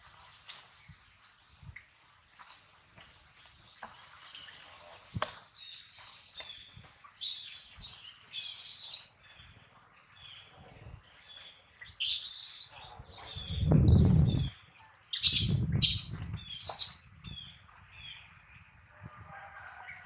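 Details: Hungry baby monkey named Adler, missing his mom and held by a small monkey, gives quiet scattered peeps that build into a run of loud piercing high-pitched squeals, with heavy low thumping and rustle between them.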